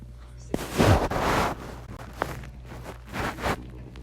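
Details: Kalypso Reign, an English Bulldog puppy, snoring in her sleep: two broad, rasping breath noises roughly two and a half seconds apart, the first longer, over a steady low hum.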